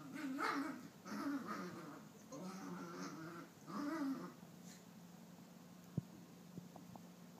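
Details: Young female Maltese about nine months old, indoors after a bath and chasing her own tail, gives bursts of playful growling and whiny grumbles in several spells, then falls quiet apart from a few small knocks.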